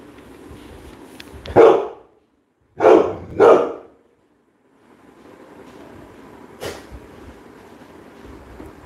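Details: Labrador Retriever named Coco, filmed during a live stream, gives three loud, sharp barks: one alone, then a quick pair about half a second apart, followed by a long pause, a faint short sound, and low indoor background noise.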